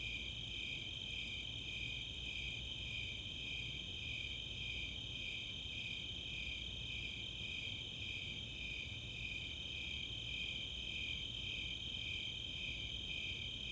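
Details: Snowy Tree Crickets and Four-spotted Tree Crickets on a summer night in Boulder, Colorado's Chautauqua open space. Rapid, very high Greater Angle-wing Katydid ticks open the passage, then rhythmic chirping and an unbroken trill continue.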